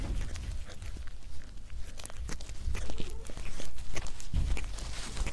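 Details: Cat eating close to the microphone: dense, rapid, uneven crunching and smacking chew sounds over a strong low rumble, with louder bursts near the middle and end.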